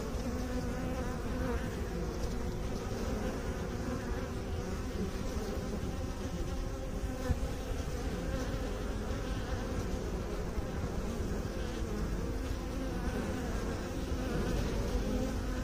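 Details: Bees produce a long, level, low-pitched hum rich in harmonic bands, constant in loudness, a dense droning buzz with no breaks.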